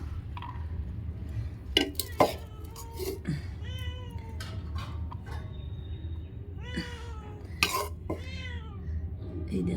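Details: Several house cats meow while being fed boiled fish and rice. Rising-then-falling harmonic meows come in two bursts, with a woman talking throughout and dishes and cutlery clattering.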